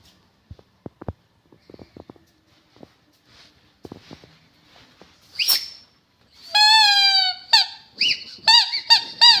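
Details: Rottweiler heard after several seconds of scattered clicks and shuffling: a sharp squeal, a long high whine, then rapid short arched whimpers.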